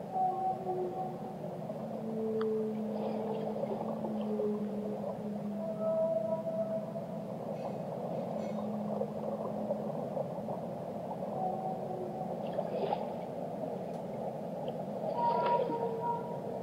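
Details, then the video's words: Whale song: a long run of low, drawn-out moaning tones, some held steady and some gliding up or down, overlapping at several pitches, with brief higher squeaks and clicks above a constant watery, rumbling background hiss. "Relaxing Whale Songs - Immerse Yourself in the Melodies of the Deep"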